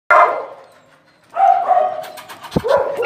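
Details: Pembroke Welsh Corgi-type dog, a small female about three years old: a sharp bark, then a longer tonal bark-whine held near one pitch, with clicks and scuffs and a person speaking Italian nearby.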